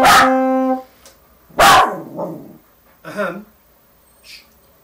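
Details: Teddy, a pet Westiepoo, answers an owner learning the saxophone: a long held sax note, then a sharp loud bark, a lower grumbling yelp and a softer rough bark spaced about a second apart, with quiet pauses between.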